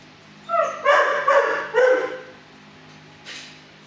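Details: Six-year-old dog in a shelter kennel barking at a person at first before calming down: four harmonic, mid-pitched barks in quick succession, then a short faint noise after a pause.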